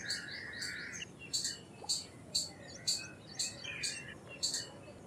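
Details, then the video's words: A brief lower whistled trill opens, then an Indian palm squirrel gives a run of piercing high chips, each about half a second apart, fairly steady against a soft background. "Squirrel Sounds Effects - Squirrel Calls - Squirrel Sound - Indian Squirrel - Squirrel Voice-Vocals"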